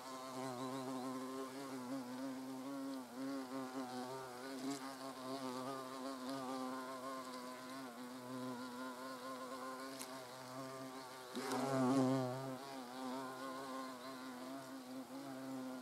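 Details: European hornets (Vespa crabro) buzzing at the nest entrance in the wild; layered humming drone that wavers in pitch, swelling louder near the end as one flies close.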